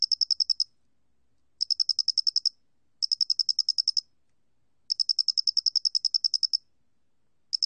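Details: Square-headed cricket sounding in a 2020 recording by Korea's National Institute of Biological Resources; bright high-pitched pulse trains come in uneven bursts, one longer run of some twenty ticks, with quiet intervals and no other sounds.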